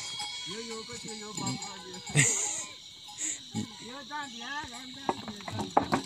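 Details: Himalayan goats in a forest near Munsyari, Pithoragarh, Uttarakhand, India, with a villager: several short wavering bleats, some quavering, mixed with a man's speech and a steady high insect hiss.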